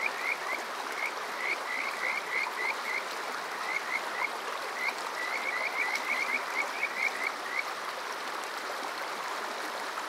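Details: Summer-night Kajika frog at Water Park Shirayama in Yokoze, Chichibu, Saitama, Japan, captured on a TASCAM DR-05X: repeated clear rising whistled notes, often in quick pairs and runs, about four per second, against a constant stream hiss.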